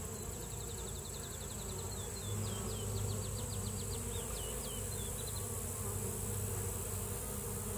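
A deep, continuous buzzing hum of many honey bees runs throughout, swelling slightly midway. High, quick repeated chips from a small bird sound faintly in the background for the first few seconds.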